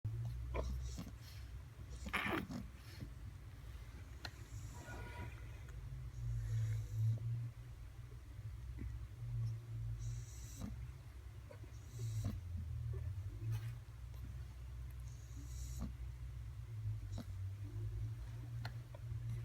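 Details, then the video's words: Bulldog snoring: a continuous low, rumbling drone with uneven rough pulses throughout, plus a few faint scattered clicks and rustles in a quiet indoor room. "Bulldog roncando"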